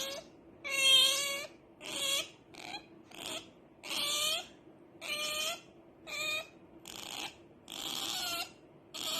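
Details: Pet otter named Rara, making noise because she badly wants to sleep: high, harmonic squeals rising then falling, repeated in bursts about once a second, some harsh and buzzy, in a quiet indoor setting.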